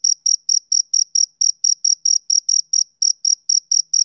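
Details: A male cricket produces quick high-pitched chirps, about four per second, with two brief skipped beats, in otherwise silent surroundings.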